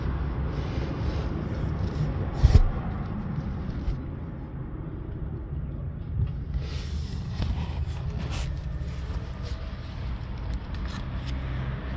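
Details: Low traffic rumble with a brief scrape, and no animal voice.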